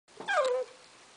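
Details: Border Collie puppy, eight weeks old, playing with her first box, gives a single short whine that slides downward, lasting under half a second, in a quiet room.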